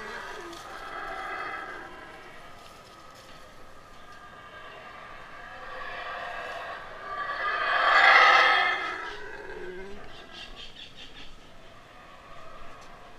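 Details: King, a Yucatan black howler monkey in rehabilitation at Wildtracks, howling up close during a feed before his release to the wild; rough, breathy roars swell and fade in waves, loudest and fullest about two-thirds through, with quieter rasping between.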